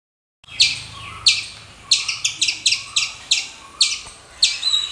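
A squirrel gives sharp, high chipping calls, repeated at an uneven pace about once a second.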